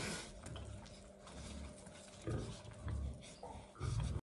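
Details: Wild boar (Sus scrofa) giving deep, rough grunts in short bursts over a low background rumble, while kissing a female pig.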